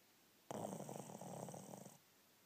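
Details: Alice, a female Shih Tzu rescued from a puppy farm, napping indoors: a single snoring breath lasting about a second and a half, a broad rasping sound with a faint high hiss, in an otherwise quiet room.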